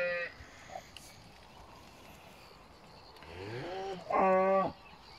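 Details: Pinzgauer cattle in a kraal with a new calf in South Africa: a short rising moan climbs into a loud, steady, richly harmonic moo lasting about half a second, then quiet rural background.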